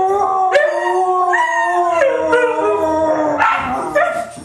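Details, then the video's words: Three white huskies in a joint howl, several sliding voices overlapping, with short yips punctuating the sustained wavering tones. "Three Howling Huskies"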